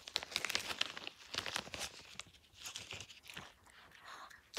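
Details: Indoor crinkling and tearing of paper or plastic with small crunches, and no animal vocalisation.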